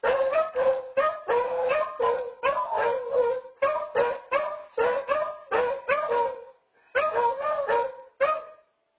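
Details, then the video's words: Two beagles bay together in a duet, captured on a Nest home camera: rapid, overlapping yelping bays repeated in quick bursts, each with a harmonic-rich upward inflection, keeping up a near-continuous chorus with one brief pause near the end. "Beagle Duet"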